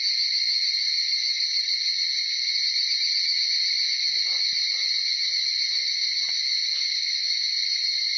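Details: Chorus of evening cicadas, Tanna japonensis, in early morning between 4:30 and just after 5 at Uda city, Nara, Japan: a dense, unbroken shrill ringing from many insects, steady and high, with faint soft ticks underneath midway.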